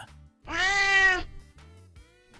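A domestic cat's harsh, piercing scream, one loud sustained cry rich in harmonics, made in pain or mating.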